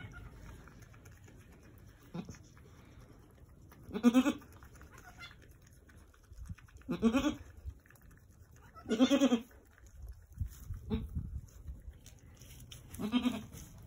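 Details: Angora goat doe at Lost Goat Ranch, right before sunset on March 7, 2020, while delivering two healthy red buck kids, her farm's first births. Four low, soft, throaty bleats spaced about three seconds apart, with quiet background rustling.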